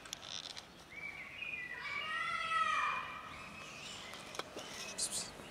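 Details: Cats gathered on a bench, among them a black kitten; one drawn-out harmonic meow rises, then falls over about two seconds, with faint outdoor background noise and soft clicks after it.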